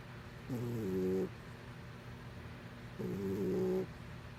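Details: A cat asleep and snoring, giving two drawn-out, reedy, harmonic breath sounds about two and a half seconds apart against a faint steady hum.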